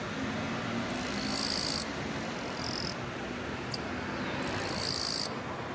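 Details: Wing-scraping song of a male Eastern-Japanese katydid on an orange daylily bud among silver grass, seeking a mate: high, harsh buzzes of under a second, a short one between, and one crisp click, over continuous low-pitched background noise.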